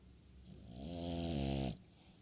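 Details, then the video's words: French Bulldog snoring, one long rasping snore building over about a second with dense low harmonics and a breathy hiss above, then fading to quiet breathing. "French Bulldog Snores"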